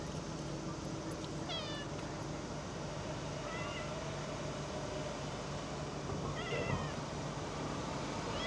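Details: Cat giving several brief, slightly wavering meows spread across the recording in August 2024, against a constant low droning hum and background noise.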